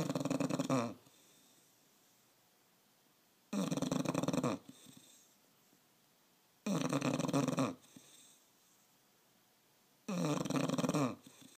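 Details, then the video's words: Snoring bulldog: heavy, harsh snorts repeating about every three seconds, each burst near a second long, separated by soft exhales in a quiet indoor room. "Bulldog snoring"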